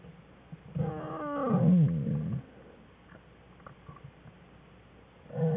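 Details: Black bear cub, one of Jewel's cubs Fern and Herbie, crying in the den during play on February 21, 2013; a loud whining cry that swoops downward over about a second and a half, then quiet, then another cry begins.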